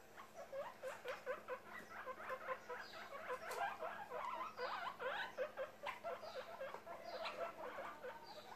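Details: Baby guinea pig Charlote, popcorning and very happy, gives a steady stream of short, bright squeaks, several per second with a few brief pauses, and faint higher falling whistles above.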